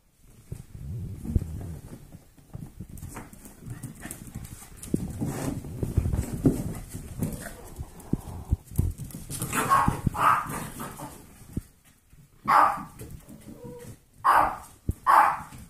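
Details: Eight-week-old foster golden retriever mix puppies at play. Scuffling and panting fill the first half, then several short, loud barks burst out in quick groups, separated by brief quiet gaps.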